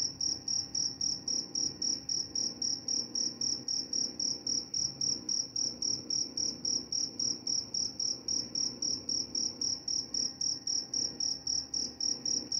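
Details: A cricket keeps up a long, even series of shrill chirps, each short pulse following the last at a quick regular pace, with only a soft low rumble underneath.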